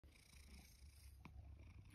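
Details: Rescue tom cat, born around spring 2019, at a home gallery in Higashiomi, Shiga, Japan, in autumn 2023, coming for breakfast when called after waking the grandmother; a brief, quiet, low steady rumbling purr with a faint click.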